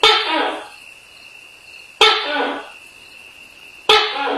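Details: At night, a Tokay gecko gives abrupt, rasping barked notes about two seconds apart, each starting sharply and trailing off, with a constant thin whine running underneath.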